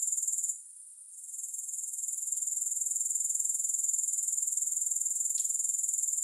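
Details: Grasshoppers in a long soothing recording with no music: a steady, very high-pitched buzzing trill of fast regular pulses, dipping briefly near the start, with two faint ticks.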